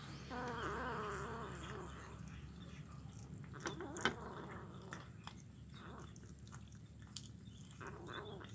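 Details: Kitten eating fish bones, recorded Wednesday 17 July 2019 on Jalan Kolonel Sugiono, Kuala Kapuas, Central Kalimantan, Indonesia; one drawn-out, wavering meow in the first two seconds, then scattered sharp clicks and faint bird chirps over steady low background hum.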